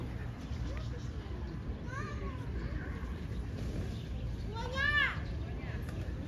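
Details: Stray cat living outside, described as having sour eyes, gives two drawn-out meows that rise then fall in pitch, the second louder and richer, over a steady low rumble of outdoor background noise.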